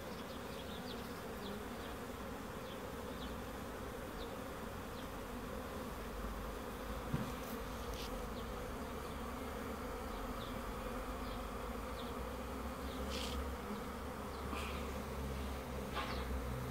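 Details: Honey bees humming in a thick, unbroken drone, joined by occasional faint high ticks and clicks.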